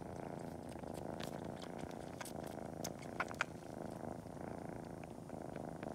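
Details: Short stretch of Cori the kitten purring in a constant low drone while sucking toes and kneading before a nap, with sparse soft suckling clicks and two brief sharper sounds near the middle.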